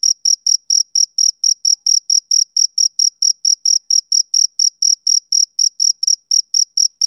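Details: A male cricket chirps on a summer evening, sharp high pulses coming quickly and regularly, a little uneven in spacing, with a clean quiet background.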